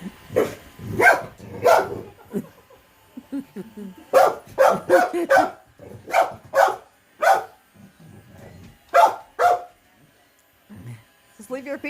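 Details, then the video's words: Pet terrier, a female, scared of a moving robot vacuum cleaner: a string of loud, sharp barks, some doubled, broken by quieter whines and snuffles, with a woman talking near the end. "My terrier dog is afraid of robot vacuum"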